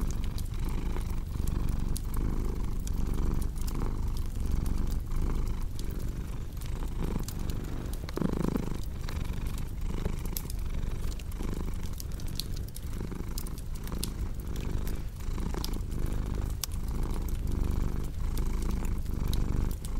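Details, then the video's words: Low, rumbling cat purr rising and falling in regular breath-length pulses, set against a crackling fireplace with frequent snapping clicks and a brief louder hiss midway. "Purring Cat with Cozy Crackling Fireplace Sound"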